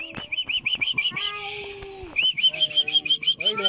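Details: African wild dogs at Avilon Zoo, recorded 14 April 2024: rapid high, bird-like chirping twitters, roughly three per second, breaking off briefly mid-clip before resuming, over a lower steady tonal hum.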